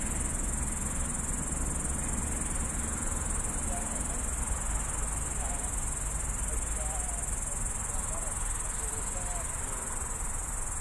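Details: Loud grasshopper singing at night from a roadside bush on Tallinn's outskirts, Estonia, phone recording: a constant high sizzling buzz with a low traffic rumble and a few faint wavering tones in the background.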